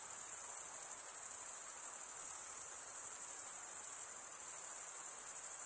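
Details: Stridulating male crickets fill the recording with a sustained piercing trill, high and uniform, finely pulsed and never pausing, with no other sounds present.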